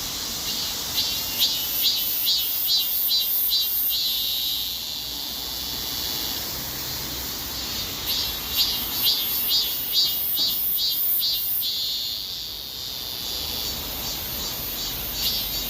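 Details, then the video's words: Korean cicada singing while moving, apparently stepping backwards mid-song: a loud, high buzzing drone broken into rapid pulsed bursts at a steady beat, easing into a continuous buzz before the pulsing returns. "참매미의 노래중 뒷거름질 ?"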